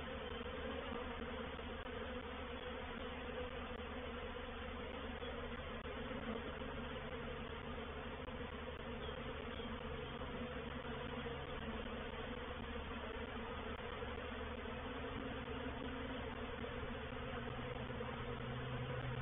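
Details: Painted Peacock Manor, 04/07/21: honey bees of a reproductive swarm settling into a bait hive make a constant, rich humming drone, with a deeper tone wavering underneath through the second half.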